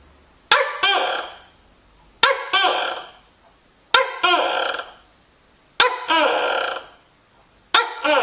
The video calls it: Tokay Colling